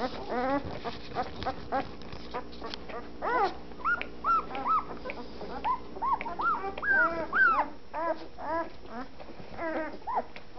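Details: Week-old fawn Anatolian Shepherd Dog pups, eyes still closed, finding their voices in a litter: high, rising-and-falling squeaky whimpers and yelps, overlapping from several pups, about two per second.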